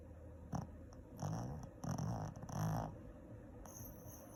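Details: A sleeping Shih Tzu dog snores in a few short, rough, breathy bursts about half a second long. They cluster between one and three seconds and are low and noisy. Quiet stillness follows, with faint high-pitched hiss.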